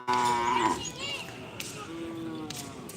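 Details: Cattle at a Karapan Sapi bull race on the Asemanis field in Pamekasan, Madura, East Java, Indonesia: one loud, harmonic moo lasting under a second, then a softer drawn-out low call amid crowd noise, clapping and music.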